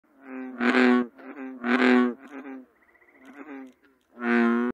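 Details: American bullfrog. An American bullfrog calls with a run of deep, buzzy croaks, each about half a second long. Loud, full-throated notes alternate with quieter, thinner grunts in an uneven rhythm.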